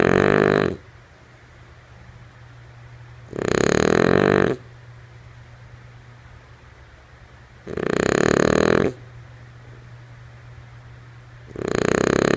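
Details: A slumbering female French Bulldog named Lulu snores rhythmically, four harsh, throaty breaths roughly every four seconds, each about a second long, with a low steady hum underneath.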